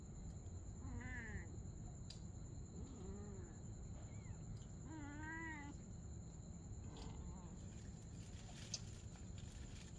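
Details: At night a mother cat and her kitten play together; a few soft, wavering meows come through, one longer bending call near the middle, against a constant low rumble and a thin high-pitched tone.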